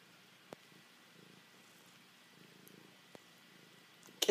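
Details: Male house cat purring in a home office while pressing affectionately onto its owner in a love attack; a quiet, pulsing low purr with a few scattered clicks and a louder knock at the end.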